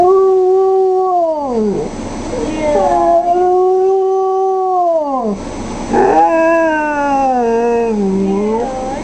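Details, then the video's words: Long drawn-out howls from a 4-year-old female wolfdog named Kya, set off by her absent owner's voice over speaker phone while she misses her; each howl holds a steady pitch before bending down, three in a row with brief breaks. "Kya The Wolfdog In: The Howling Part II"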